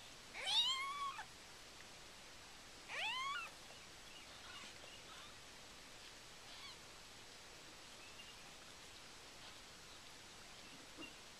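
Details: Siamese cat Karma giving birth indoors to her first litter of six kittens in the morning: two sharp, high mews close together at the start, then near silence with only faint traces of further calls.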